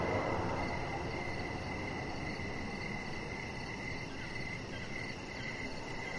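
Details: A continuous high cricket trill on an evening deck, evenly pulsed and unbroken, with a brief louder low noise at the start and steady broadband rumble underneath.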